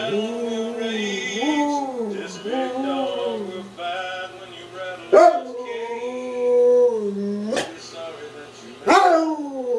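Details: Working bomb dog joining in with a Toby Keith track: several drawn-out, bending howls with sliding pitch, separated by short gaps and sudden sharp rising starts.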